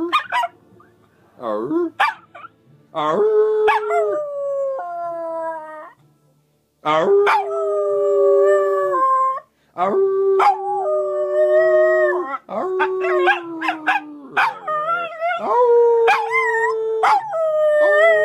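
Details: Charlie the dog howling indoors at length: a run of long sustained tones, each sliding slightly downward, broken by short gaps and sharp yelps, with a person talking in between.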